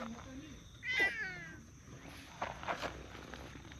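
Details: Meow from one of two stray park cats, a tortoiseshell and a brown tabby, vying for petting: a single bright, drawn-out meow near the start, followed by quiet rustling and low human voices.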